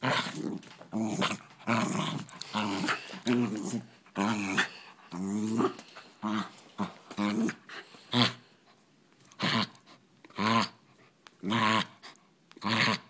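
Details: During a poodle fight, dense overlapping growls and snarls fill the first half, then thin into separate sharp, noisy yelps or snaps roughly once a second.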